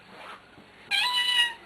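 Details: Talking house cat answering its owner: a single bright, level meow lasting over half a second, after the owner's voice calls to it.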